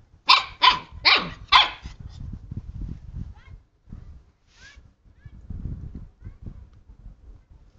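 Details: Male and female Siberian husky puppies at play with a hand: four sharp, high barks in quick succession at the start, then quieter rustling and scuffling with faint squeaks.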